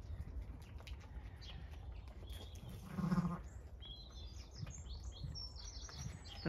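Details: Zwartbles ewe with her just-born ewe lamb, the first lamb of the season, on a regenerative farm in County Kilkenny, Ireland, in the morning; a single short, low bleat midway through, over steady wind rumble and faint high bird chirps afterwards.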